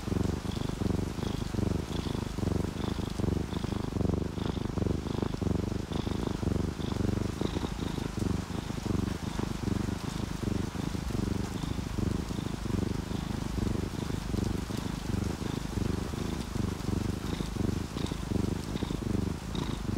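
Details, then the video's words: Sleeping pet cat purring continuously amid the sound of rain, from an orange tabby and calico pair; dense low drone with soft beating, raindrop patter and a faint high ticking tone repeating throughout. "A purring cat and cozy sound of rain"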